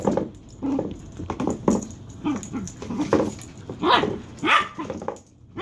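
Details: Dagger, a dog whose weird sounds are compared to a chicken, lets out continuous grumbling barks, whimpers and moaning whines, ending in two sharper high yelps.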